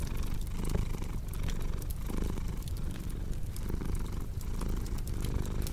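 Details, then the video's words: Cat's deep, continuous purr, a low vibrating rumble pulsing in slow rhythmic waves, layered under the crisp snapping and crackling of a fire burning in a fireplace. "Purring Cat with Cozy Crackling Fireplace Sound"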